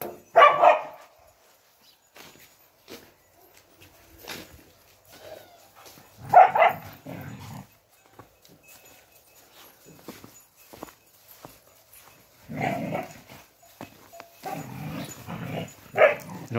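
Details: Spanish mastiff on a farm, filmed 6 January 2021 with goats nearby, giving short deep barks in bursts near the start, at about six and a half seconds, and from thirteen to sixteen seconds, separated by quiet stretches with faint rustling.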